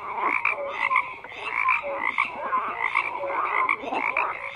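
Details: Numerous frogs croaking over one another, rattling pulsed calls mixed with short bright chirp-like notes, forming an unbroken chorus throughout.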